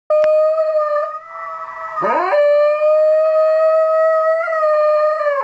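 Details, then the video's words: Shetland Sheepdog named Miko howling along to a recording of his own howl; sustained, steady tonal howls with rich harmonics, a brief wavering break near the two-second mark, then a long level howl that rises slightly before the end. "Shetland Sheepdog Howl"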